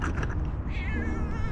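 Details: Two hungry tabby cats, stray and begging for food: a loud, drawn-out, slightly wavering tonal meow in the second half, over a heavy low rumble of background noise.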